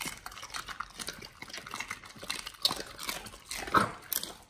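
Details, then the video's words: Pit Bulls chewing raw beef shank at feeding time. Close, continuous crunching and tearing with sharp bite clicks and moist smacking, some louder snaps near the end. "Pit Bulls eat Raw Beef Shank combo [ASMR] | BARF | MUKBANG 動物の咀嚼音 | 犬が生の肉を食べる"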